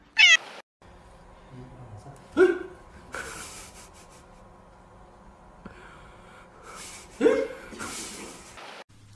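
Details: Domestic cat from a funny cat compilation, giving three short, sharp, high meows spaced a few seconds apart, the first rising and wavering, over a quiet hum and soft background sounds.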